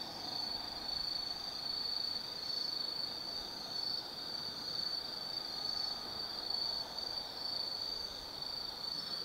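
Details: Forest insects of autumn at Tsukimi Forest, Kaizu, Gifu, Japan, heard at night: a sustained high-pitched ringing trill with softer mid-range hum beneath, no other distinct callers.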